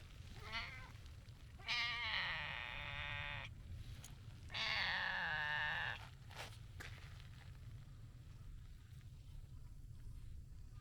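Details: Rough-voiced stray tabby cat, too impatient to wait its turn for petting: two loud, hoarse, raspy meows about three seconds apart, each lasting over a second, with quiet rustling and low outdoor noise between.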